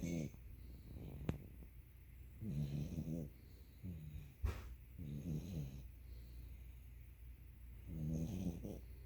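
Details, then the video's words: Pet dog sleeping on a person's lap with its head on their belly, snoring loudly; deep vibrating snores come in bursts of about a second, separated by quiet pauses, with a couple of sharp clicks and faint background hum. "My dog Zuul snoring."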